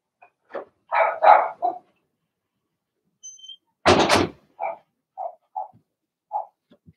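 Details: Cavalier King Charles Spaniel puppies, Blenheim litter of six in a home puppy pen, let out a cluster of rough overlapping barks, then a loud thump, followed by scattered short yips.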